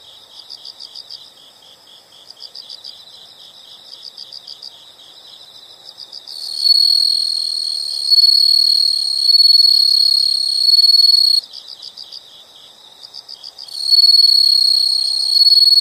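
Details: Quiet, regular high insect chirps in quick bursts lead into long, loud, ringing shrill trills that rise and fall, with the chirping returning between them.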